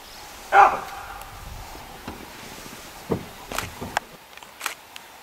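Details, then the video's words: Baboon in the African bush barking an alarm to warn animals of a predator: one sharp loud bark, followed by scattered clicks, rustles and soft knocks in the background. "baboon alarm call to warn animals of a predator."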